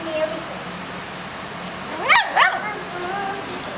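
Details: Female brindle puppy barking back indoors when told it is time for bed: two sharp, high yappy barks close together near the middle, with a human voice talking around them and steady background hum.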